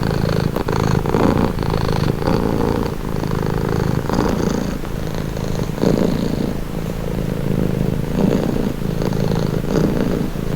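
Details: Calming domestic cat purr, a close, continuous low rumble pulsing with each breath every couple of seconds, with faint soft clicks at the start.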